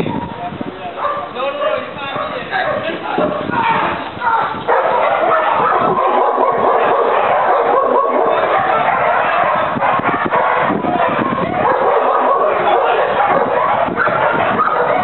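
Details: Four-year-old German Shepherd named Ufo at Aaron's school of dog training in Trinidad, demonstrating criminal apprehension and assisting his handler in a confrontation with a decoy. Rapid, harsh barks come about twice a second, mixed with loud shouting voices.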